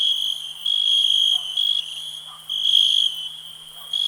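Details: A cricket sings a continuous shrill trill that rises into loud, sustained bursts lasting under a second, separated by quieter stretches; a faint low hum sits steadily underneath.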